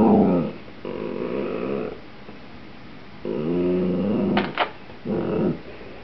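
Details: Rusty the Dachshund pleads for a potato chip indoors, pawing at the chip bag; drawn-out rough growls with stacked harmonics alternate with quiet gaps, with a brief crackle of the bag near the end.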